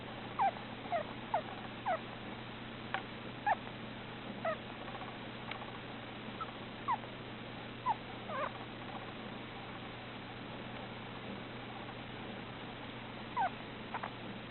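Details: A male Russian dwarf hamster napping inside a scarf makes soft, brief squeaks at irregular intervals in his sleep, over a low steady hum.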